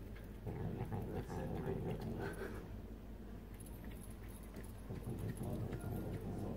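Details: Domestic cat, a female, eating stolen potato salad in a room corner, making continuous low guttural grumbling sounds with uneven pulses, briefly quieter near the middle before rising again.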